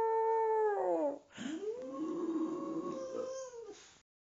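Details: Boxer dog and owner howling together at home: a falling harmonic wail, then a softer, longer sustained howl holding steady before fading out.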